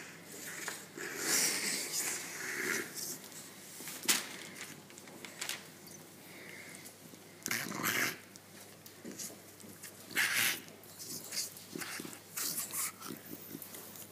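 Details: A female English Bulldog, being teased and showing her teeth, snorts and wheezes in short, breathy bursts, with a few sharper huffs between pauses.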